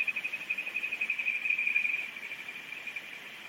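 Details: Kajika frog calling in July on the Oguro River, which flows through Takasawa settlement in Yasuzuka, Japan: a high, clear, steady trill pulsing about four times a second, swelling slightly then easing off over a hiss of flowing water.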